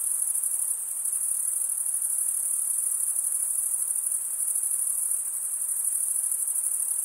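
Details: Cricket chirping, made by running one wing's edge along the toothed vein beneath the other, sounds as a relentless high, fizzing pulse train with slight swells in loudness and nothing else in the background.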